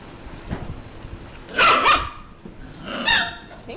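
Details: Six-week-old Mini Goldendoodle puppies from Biscotti and Leo's litter at play, giving two sharp, high yapping yips about one and a half seconds apart, with faint background rustling between them.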